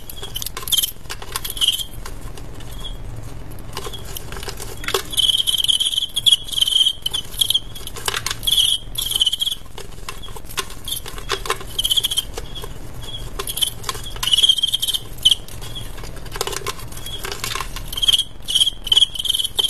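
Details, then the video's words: Male crickets in a cricket fight: repeated clusters of shrill tonal chirps over twenty seconds, with frequent clicks, taps and scuffling between bursts. "ADU JANGKRIK "cricket fight ""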